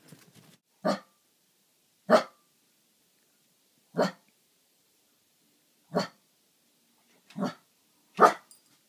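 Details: Playful Welsh Terrier puppy barking: six short, sharp barks spaced roughly one to two seconds apart, each a quick broad burst, with near silence between them and faint voices at the very start.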